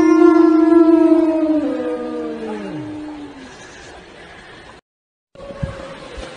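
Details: Siberian Husky (Canis lupus familiaris), howl.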